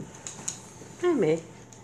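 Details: Leo, a 6-week-old pug puppy, at his breeder's home in New Brunswick, Canada, with his parents and littermates nearby; one short whiny yelp that rises and then drops, indoors, with faint clicks before it.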